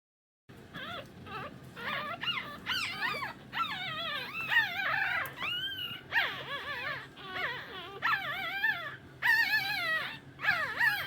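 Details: Shih Tzu. Several Shih Tzu puppies give high, thin whimpers and squeaky yips, each cry bending up and down in pitch. The calls come in quick overlapping bursts, nearly one a second, with no other sounds.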